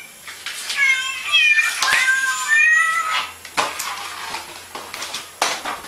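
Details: Cat making a quick run of short, bright meows and chirping calls in the first three seconds, then fading into background rustling with occasional knocks.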